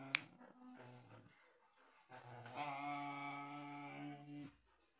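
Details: During a tug-of-war game with a toy between two dogs, a Samoyed and a white Husky named Alpha and Odie, short low grumbles give way to a sustained, rising, whining vocal moan, with a few clicking snaps.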